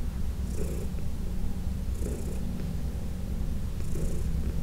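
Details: Heidi, a 14-year-old senior domestic cat adopted from the Humane Society of New York City, purring during a massage in June 2021: a continuous low rumbling purr with soft rhythmic swishes of hands roughly every two seconds.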